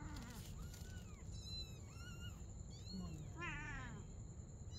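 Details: Mother cat and kitten playing together at night: about five short, arched, bright mews in quick succession, some rising and falling, the last one harsher and more layered, over a low rumbling background and a steady high electrical whine.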